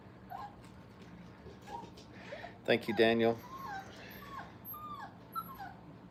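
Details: Playful Brittany puppies, five weeks old, in a kennel: scattered thin rising and falling whines, then a louder harmonic yelp burst near the middle, with a human voice and low hum behind.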